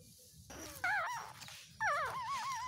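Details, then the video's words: Two-day-old newborn puppies whimpering while asleep: two wavering, high-pitched squeals that rise and fall in quick waves, the second longer and trailing into softer wobbling whines, over a quiet background hum. "2 days new born puppies acting cute and lovely activities while sleeping"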